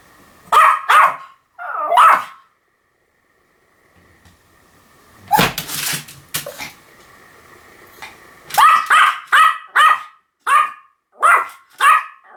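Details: Pomeranian giving sharp, high yapping barks: three at the start, a pause, a noisy scuffle, then a quick run of six or so evenly spaced yaps.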